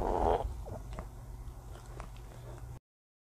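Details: A Shih Tzu burps after eating its food, a short, loud, gurgling burp followed by soft clicks over a low hum; it had been eating fast with its body twisted.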